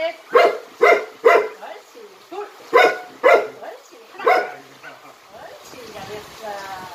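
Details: Jinmyeong the Jindo, a member of a Jindo dog performance group, gives about seven quick, resonant barks in brisk succession, then falls quiet as a hissing background noise takes over.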